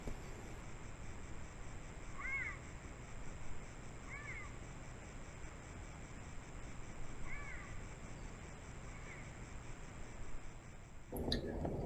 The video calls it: Fascinating Cougar Sounds: Nature's High-Pitched Calls